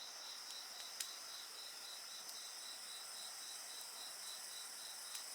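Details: Insect voices mixed with bonfire sounds for relaxation: a continuous high buzzing shimmer and a fast beaded trill of even pulses, broken by a few sharp fire crackles.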